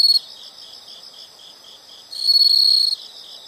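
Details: Insects in a nature sound recording: a loud steady high trill opens and returns near the end, with a softer pulsing chirp running beneath it throughout.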